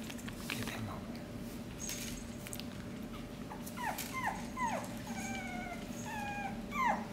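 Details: Havanese puppies from the Annie x Redford litter at six weeks old, 14 September 2018: thin high whimpers that slide sharply downward, several in quick succession in the second half, with some steadier whines and soft human talk early on.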